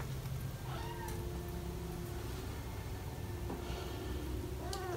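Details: British Shorthair cats indoors, where four kittens almost five weeks old play around their parents Ted and Chloe; two short, high, rising-then-falling meows about four seconds apart over a steady low hum.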